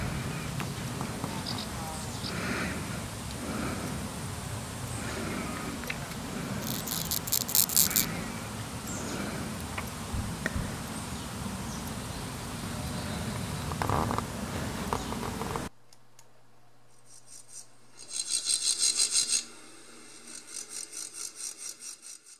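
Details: A water-meadow grasshopper (Chorthippus montanus, endangered in Germany) stridulates in short, dry rasping bursts against a rustling, noisy background.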